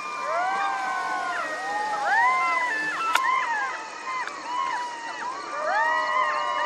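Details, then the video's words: Jackal chorus of many overlapping voices, wavering whines and short arching yelps crowding together without pause, with one sharp click midway. "Jackal Sound"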